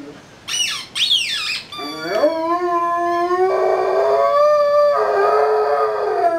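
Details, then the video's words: Rhodesian Ridgeback Yuba, three years old, singing like a wolf: two short high squeaky cries sweep up and down, then a long, steady, harmonic-rich howl that wavers slightly and holds its pitch for about four seconds. "Rhodesian Ridgeback Yuba is singing."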